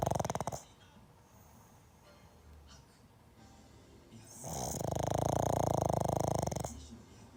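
A sleeping pug snores with a loud, rasping, drawn-out breath.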